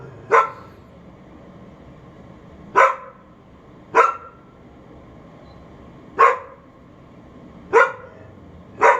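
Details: Left unsupervised outdoors, a dog barks toward a neighbour it can hear, recorded through a bathroom window late morning, May 28, 2022; six single loud barks spaced roughly one and a half to two and a half seconds apart, low hum beneath.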